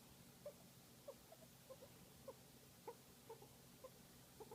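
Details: A guinea pig enjoying a massage gives soft, short squeaks and chirrups, repeated about every half second.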